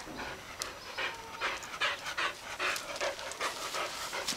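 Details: Dog playing with a toy duck, panting in quick, breathy huffs about two or three per second, steady and fairly regular, heard close up with faint background noise.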